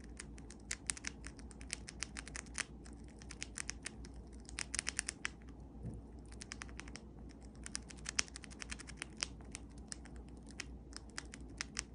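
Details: Quiet, rapid dry clicks and crunching like nibbling or typing in a small room, with no animal call heard.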